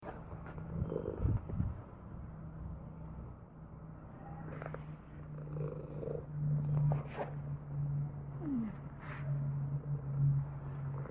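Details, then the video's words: Domestic cat purring: a continuous low, rumbling, pulsing drone that swells and fades with each breath, with a few soft clicks and rustles scattered over it. "Purring Cat Sound Effect"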